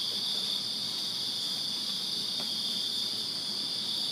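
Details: Summer night cricket chorus from a Virginia backyard, a dense continuous shrill trill from many callers layered in two high bands, steady in loudness throughout.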